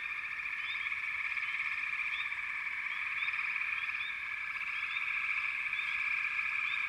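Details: A constant frog chorus, thick and unbroken, with rapid repeated notes about three to four per second and scattered brief chirps on top.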